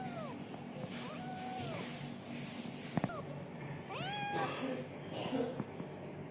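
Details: Young kitten meowing repeatedly: short rising-then-falling cries, about four in six seconds, the later ones higher and more piercing, with a couple of sharp clicks and a constant low background hum.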